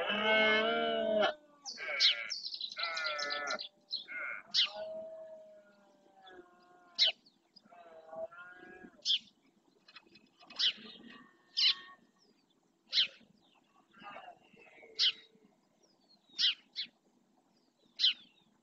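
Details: Red deer stag bellowing during the rut in the marshes of Doñana National Park, Spain, claiming territory: one loud, deep harmonic roar over about a second, followed by scattered short, sharp high calls and quieter, thinner tonal sounds.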